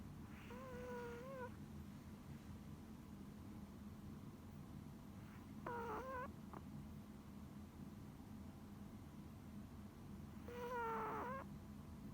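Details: Tiny deaf female Pomeranian snoring in her sleep: squeaky, whistling nasal snores come at about one, six and eleven seconds over a steady low hum.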